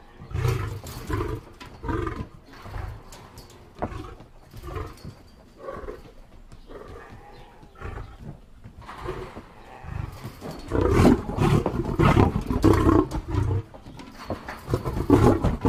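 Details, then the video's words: Lion roaring in a long uneven series of deep, throaty grunting bursts, about two per second, quieter in the middle and then building into louder, denser grunts near the end. "lion sounds"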